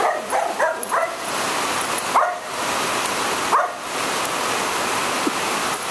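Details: Female Border Collie barking angrily at rain, thunder and lightning, angry rather than afraid; a handful of short, sharp barks in the first seconds and around the middle, over a constant hiss of heavy rain.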